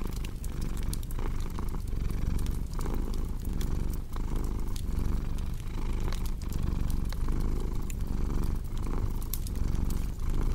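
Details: Domestic cat purring in a steady low rumble that swells and fades about every 0.7 seconds with each breath, set against sharp pops and crackles from a cozy fireplace.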